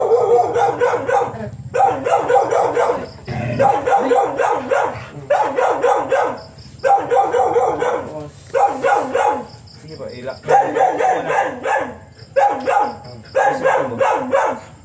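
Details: Siberian Husky during a stud session, both dam and sire first-timers; repeated bursts of whining, yelping vocalizations with falling pitch sweeps, each burst about a second long, coming in quick succession with short pauses between.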